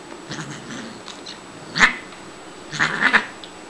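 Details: Siamese cat Shiloh, a female found as a tiny kitten behind a grocery store, vocalizing during playtime: one short bright meow, then a longer wavering two-part cry about a second later, over a quiet room hiss.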